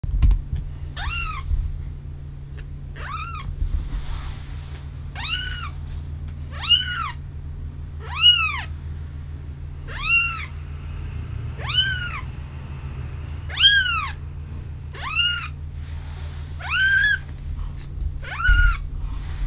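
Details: Brown Maine Coon kitten, two weeks old, at a breeder's cattery in Tokyo, Japan: thin, high arched mews repeated about every one to two seconds, some ten calls, over a steady low indoor hum.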